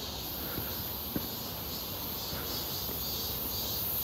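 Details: Midsummer cicada chorus near Seonbawi, 1 August 2023, on a clear hot day: an unbroken, shimmering high buzz holds steady at a moderate distance, with a single soft tap and light outdoor background noise.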